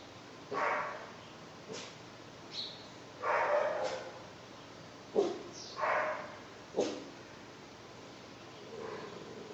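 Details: Bunk, a German Shepherd mix puppy just over two months old, discovering his bark: a string of short, soft yips and woofs at uneven intervals, some with sharp clicky onsets, low background hiss.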